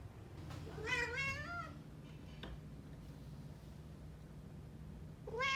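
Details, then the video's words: Meowing from Somali and Bengal cats, with Bengals noted to sound slightly different from one another: a wavering meow that falls in pitch, then several quiet seconds with faint knocks, then a fresh meow beginning at the end. "猫の鳴き声 ソマリ 〜ベンガル"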